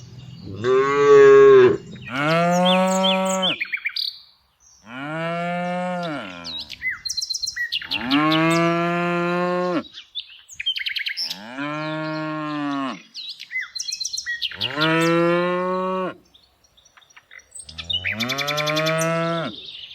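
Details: Tame cows herded in the afternoon moo over and over, about seven long harmonic calls in twenty seconds, some rising then falling, with brief bird chirps in the gaps.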